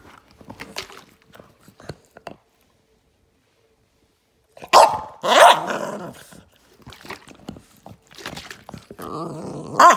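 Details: Boston Terrier dog reacting as a water bottle is shaken at it: a quiet stretch, then two loud, sharp barks about half a second apart, scattered rustling, and a drawn-out, harmonic whining grumble at the end.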